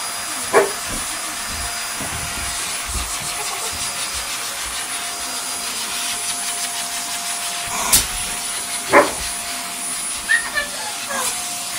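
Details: Pointer and two Ridgebacks barking in short sharp bursts at a running hoover, the vacuum cleaner's steady whine filling the room throughout and nearly masking the dogs.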